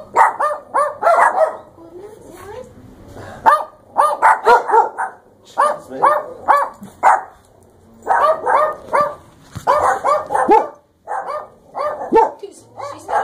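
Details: Dogs at a dog beach by the ocean, a pack including a Chihuahua, a Maltese/Pekingese, a Yorkshire Terrier and a Shar Pei/Lab mix; sharp barks in rapid bursts of three to five, pausing between volleys, with a person speaking nearby.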